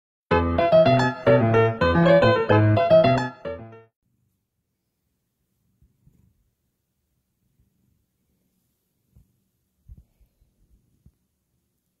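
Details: A short bright musical jingle of about three seconds, then near silence broken only by a few faint clicks and taps.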